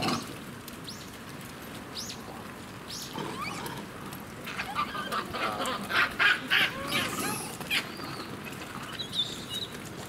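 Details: Japanese macaques (Macaca fuscata) at breakfast time at Kamine Zoo, Hitachi, Ibaraki, give a rising, overlapping chorus of high, tonal coos and harsher squeals, 21 October 2017.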